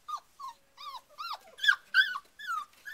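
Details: Several short, high-pitched yelping whimpers from four-week-old Rhodesian Ridgeback puppies. Each arches up and then slides down. About eight calls come in three seconds, with brief gaps between them.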